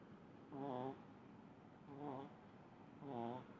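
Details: Small pug Munichka snores through deep sleep: three short buzzy, layered rasps, each under half a second, spaced roughly a second and a quarter apart, with soft hiss in the pauses.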